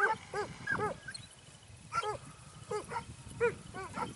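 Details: Segugio Italiano during training in Evros, 12 September 2018, baying in short arched yelps over a rumbling, noisy background, with several loud bays spaced about half a second apart.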